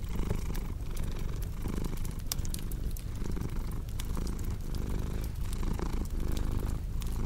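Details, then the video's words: Deep, even purring from a cat, low buzzing pulses repeating with each inhale and exhale, accompanied by frequent sharp crackles from a fireplace. "Purring Cat with Cozy Crackling Fireplace Sound"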